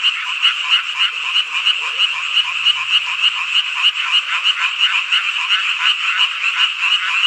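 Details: Midsummer night frog chorus from rural Hongcheon in Korea's Gangwon Province: dense overlapping croaks pulse in quick waves of loudness, with a faint low hum briefly underneath partway through.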